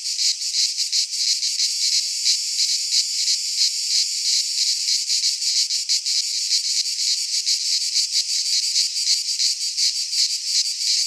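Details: Cicadas singing in midsummer in a Greek pine forest: a dense, high, hissing buzz that swells and pulses several times a second without pause, no other sounds.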